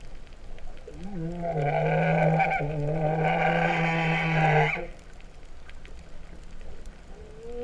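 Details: Humpback whale singing beneath the sea off Vava'u, Kingdom of Tonga, in September 2015, its moo-like voice opening with a low upward swoop into a long buzzing harmonic groan, followed by a faint rising whoop.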